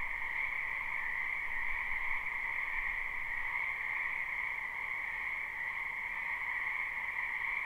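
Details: Spring wetland frog chorus, live and unlooped: countless overlapping croaks merge into a continuous trilling drone with a mid and a higher pitch band, steady throughout, no other sounds standing out.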